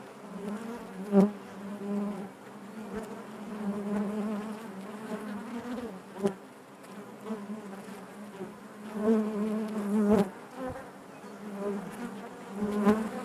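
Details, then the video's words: A steady low hum of many honey bees within their hive, layered with overtones, its loudness wavering gently, punctuated by occasional crisp clicks and thumps across the recording. "bees therapy hive natural buzzing sound"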